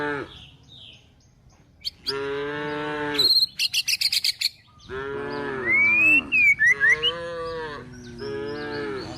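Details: Cows and calves being driven toward the forest in search of food, lowing in three long, steady moos, one ending in a falling slide, while small birds chirp and trill rapidly between calls.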